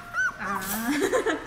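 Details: A brief high squeak from 17-day-old puppies on their first outing into a dog café, overlapping a person's voice.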